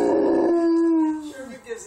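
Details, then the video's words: Mastiff howling to the sound of sirens, a sustained, clear tone held for over a second before dropping and trailing off into quieter wavering notes. "Mastiff sings to siren"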